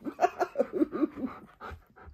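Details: Male pet husky indoors complaining to a woman while waiting to be given food: a quick run of wavering, throaty yowls rising and falling, about eight in a second and a half, then two softer trailing moans.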